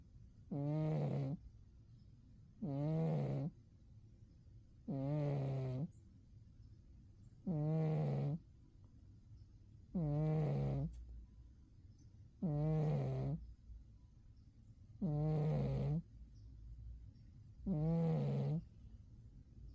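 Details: Deep in a winter sleep, the cat Umi snores in an even rhythm, eight short, low, throaty rasps spaced about two and a half seconds apart.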